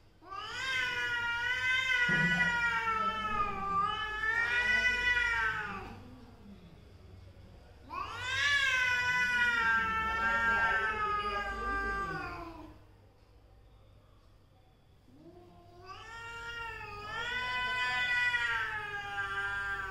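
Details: Three long, warbling yowls, each lasting about four to five seconds and separated by short quiet gaps, pass between mother and daughter cats in one family.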